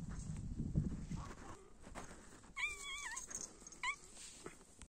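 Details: Kittens with their mother cat: one drawn-out wavering meow, then a short second meow, over soft rustling and handling noise.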